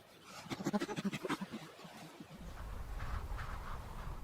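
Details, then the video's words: Chimpanzee laughter, a sound associated with pleasure: a quick run of breathy, rhythmic pulses, about three per second, for the first one and a half seconds, then fading into a low rumbling background. "We find a chimp's laughter so appealing because we recognize it. It's a sound we associate with pleasure."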